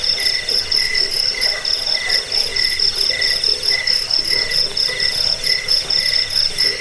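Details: Cricket calling in quick, evenly spaced bursts of piercing high trills, a duller lower note pulsing in step. The recording is meant for chasing off rats, lulling listeners to sleep and tutoring birds.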